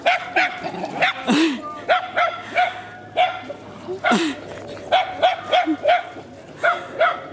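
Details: Several little dogs barking excitedly while lurchers run and chase nearby; sharp, high yapping barks come in quick irregular bursts, roughly a dozen over seven seconds, with occasional louder yelps and a steady low hum underneath.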